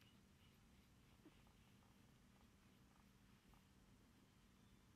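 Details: Domestic cat purring softly indoors while receiving a head and face massage; a low, steady, rumbling vibration runs throughout, very quiet against a faint background hum.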